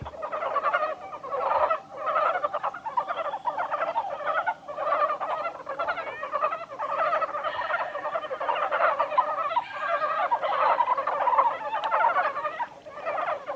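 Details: Chorus of montane brown frogs recorded 1 March 2020 at Kawaguchiko Field Center, Japan: many frogs give quick rattling croak bursts that overlap into a continuous, pulsing wall of sound, swelling and dipping every second or two.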